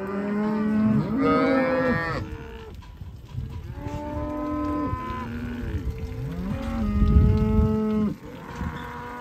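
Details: Herd of Black Angus cows, part of 140 cattle, calling with repeated long moos that start with a rising swoop and hold a steady low tone, several voices overlapping across the recording.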